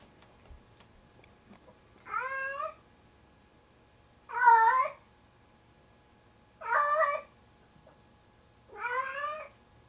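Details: Male pet cat of about 25 pounds carries a found pair of socks, his 'kitten', to bed, a nightly habit. Four loud, rising-then-falling wailing meows, spaced roughly two seconds apart, with quiet room sound between.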